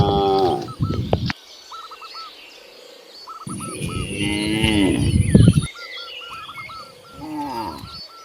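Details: Free-roaming cows in green fields mooing: a deep drawn-out moo opens, then a longer wavering moo mid-way and another near the end, with small birds chirping in the background.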